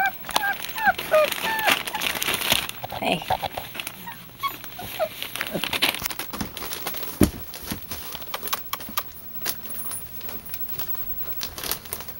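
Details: Puppies from a litter whimpering and squeaking in short high-pitched bursts, thickest in the first few seconds, with rustling and crinkling, a low hum, and a person talking softly to the pups by their colour names.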